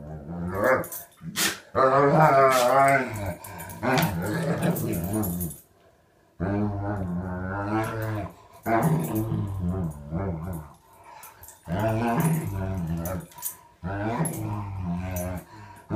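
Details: Alaskan Malamute/German Shepherd mix dog doing morning mouth play with another dog indoors: loud, harmonic growling grumbles and warbling moans in bursts of one to two seconds, separated by short quiet gaps.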